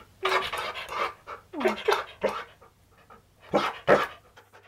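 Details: Siberian Husky being groomed indoors while shedding its coat: breathy, rhythmic puffs in uneven clusters, one brief descending whine near the two-second mark, and quiet pauses between bursts.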